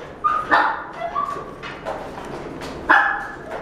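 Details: Female long-coated Chihuahua, black and tan, born 4 July 2017, giving short high yips and whining sounds scattered through the clip, with the loudest near the start and the end over background room noise.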